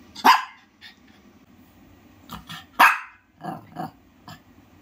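A Shih Tzu gives sharp, high barks in short bursts, some doubled.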